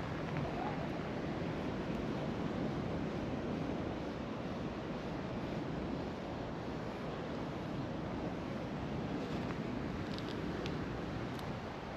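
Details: Steady broadband roar of surf and wind along a shore, with a few faint clicks.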